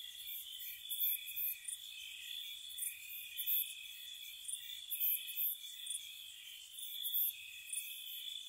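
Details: Crickets at night in spring around a cottage, continuous high-pitched trilling with a pulsing lower band, punctuated by loose clusters of bright chirps roughly fifty times a minute.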